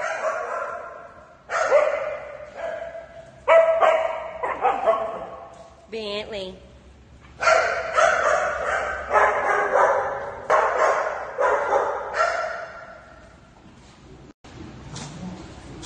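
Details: Sky the Shih Tzu, thrilled about going to Dog Dayz daycamp, gives repeated bursts of barks and yips, broken by short gaps and a quiet stretch near the end, with a human voice mixed in.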